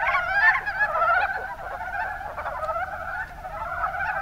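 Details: Mountain brown frogs calling in the Kuma Basin, Kumamoto, Japan: a dense, continuous chorus of overlapping chuckling croaks with rapid rippling pulses, louder in the first second, then a steady murmur.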